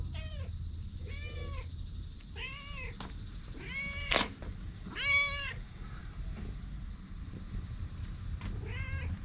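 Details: Stray cat met outdoors and filmed on a GoPro, meowing about six times in drawn-out, arching calls with rich overtones, spaced irregularly over nine seconds; a sharp knock sounds midway, with a low outdoor rumble underneath.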